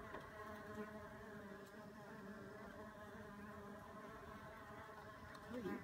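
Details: Backyard mason bees at work on a warm April day, a bumble bee among them: an unbroken layered buzzing drone that holds an even level throughout, with a brief louder swell at the very end.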